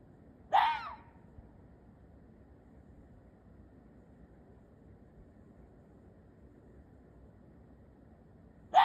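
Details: Short hoarse call of an Ezo red fox, a single rasping bark with a falling end, followed by a long pause with faint background hiss before a second call begins at the very end.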